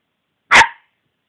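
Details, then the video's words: A single short, forceful bark from Cici the dog, bright and slightly rasping, fading quickly into silence. "Cici hau hau"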